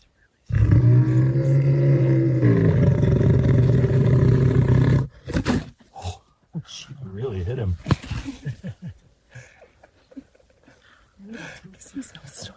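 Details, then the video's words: Lion snoring: a loud, steady, low rumbling drone with layered harmonic bands, held for about four seconds before cutting off abruptly, followed by people talking and laughing. "Храп льва."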